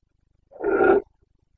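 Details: Single hoarse, half-second bellow from a Carpathian red deer stag in breeding season in the Bucovina mountains, September 2022, rough and fairly loud, with silence before and after.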